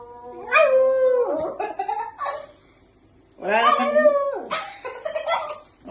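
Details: Pet dog talking back to its owner, giving two drawn-out tonal howling bouts, each wavering then sliding downward, with rich harmonics and a short pause between, while a person scolds it in Filipino.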